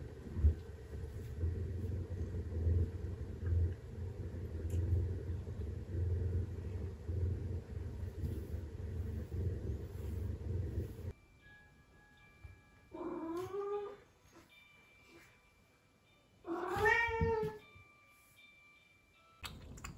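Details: Male blue point bicolor Ragdoll kitten, born 24 June 2023, playful and affectionate, recorded growing up over its first year; after a long low rumble, two clear rising-falling harmonic meows, about a second each, with steady tonal background lines.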